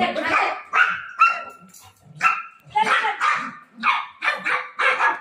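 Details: Golden retriever dog, desperate to find its owner while playing, gives high, tonal barks and yelps in uneven bursts with short gaps.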